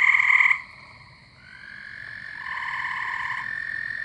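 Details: Frogs and toads calling at night in spring or summer near a house pond where Gray Treefrogs and American Toads live. A loud, brief buzzy trill opens, then quieter overlapping trills at two pitches continue steadily.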